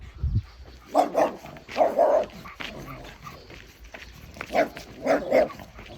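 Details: Dogs bark on a neighborhood walk as Bokdol-i faces a group of five local dogs. Medium-pitched barks come in pairs about a second apart, in three bursts, over low outdoor noise.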